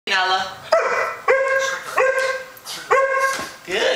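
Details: A female Alaskan Malamute gives a string of clear, ringing barks on command, as if counting, while a person praises her and asks how many.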